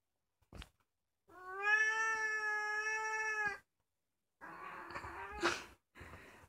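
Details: Kkomaengi, a two-year-old orange female domestic cat, the youngest cat of a household, filmed indoors at night: one long, steady, clear meow lasting over two seconds, then a softer, rougher second cry after a short pause.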